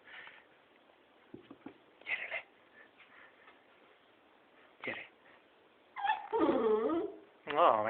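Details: Young beagle named Balu, being coaxed to come down, gives short scattered yips and then loud, wavering, high-pitched whimpering yelps near the end, with a person talking encouragingly in Hungarian throughout.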